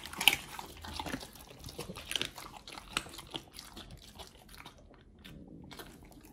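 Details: Raw treats being eaten by the Pit Bulls Oliang and nomyen: sharp crisp bites and crunches packed into the first four seconds, then thinning out and fading to near quiet.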